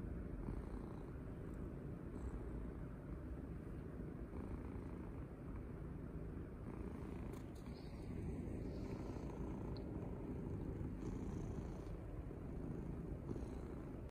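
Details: Pet cat purring loudly with enjoyment while being petted and cuddled indoors; a steady, low, continuous rumbling purr runs unbroken for the whole stretch, with no other clear sounds.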